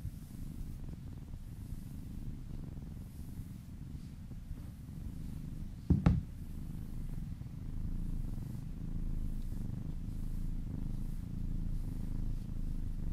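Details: Massaged kitten purring indoors, a continuous deep rumble that grows slightly louder in the second half, broken once by a brief sharp tap.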